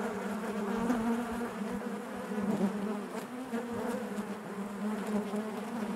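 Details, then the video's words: Inside a honey bee hive, a continuous low drone of many bees, even in loudness, with faint shifting overtones and brief louder flickers as individual bees move near. "bees therapy hive natural buzzing sound"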